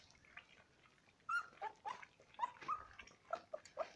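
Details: Alaskan Malamute puppies, 28 days old, eating rice pudding and puppy milk indoors; several short, high, squeaky whimpers and whines come in a quick irregular run over wet lapping and chewing noises.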